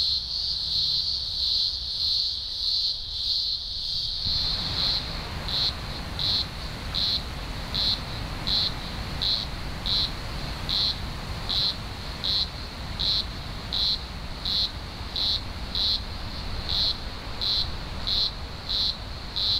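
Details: Green grocer cicadas in a large emergence, thousands singing together in early October 2020, Blue Mountains, Australia; a loud, continuous high buzz pulsing roughly once every second, with low rumble beneath.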